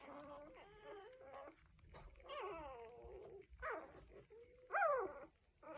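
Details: Week-old Cocker Spaniel puppies whimper in a string of thin, wavering cries, some drawn out and gently falling, ending with a louder downward squeal, over faint background noise.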